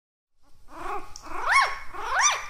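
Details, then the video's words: Puppy barking: two or three high, arched yelps that rise and fall sharply, each following the last after a short gap, over a faint low rumble indoors. "PUPPIES BARKING"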